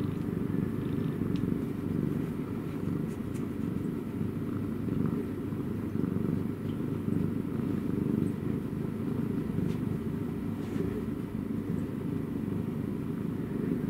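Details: A cat purrs continuously, a deep, steady rumble with fine rapid pulsing and no pauses, lasting throughout with faint background hum.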